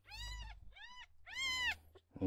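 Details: Ten-day-old rescued male red tabby and white kitten, dehydrated and unwilling to drink bottle milk: three clear, arched mews in two seconds, the last one longest and loudest, indoors.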